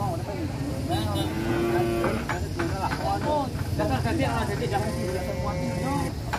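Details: Cattle among 25 large animals bought by a Purwokerto boss, being loaded onto a tronton truck: drawn-out, wavering moos with lowing harmonics, mixed with men's voices and idling vehicle noise throughout.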